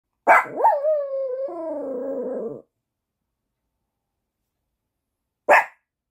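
A Chihuahua gives a sharp bark that stretches into a high, wavering howl, then one short bark.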